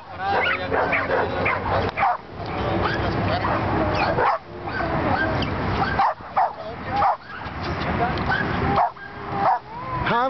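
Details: Pit bull terriers at a Juárez pit bull club event in December 2010, shown gripping; loud, dense, overlapping harsh barks and yelps throughout, with human voices mixed in and brief pauses near two, four and six seconds.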